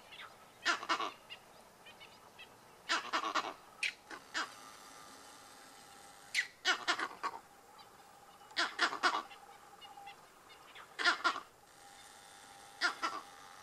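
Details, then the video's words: Monkeys give harsh, barking alarm calls in short clustered bursts, repeated every two seconds or so, after seeing lions about 100 m away. "Monkeys alarm calling"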